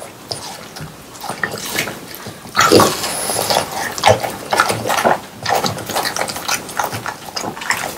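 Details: French Bulldogs eating watermelon in summer, recorded close up for ASMR: wet, juicy slurps and smacking crunches in quick irregular bursts, with louder crisp bites in the second half.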